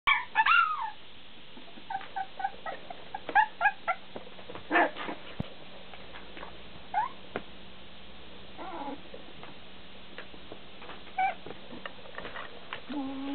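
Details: Bulldog puppies giving short scattered whimpers and yips, some with rising and falling harmonics, separated by quiet gaps and low hum.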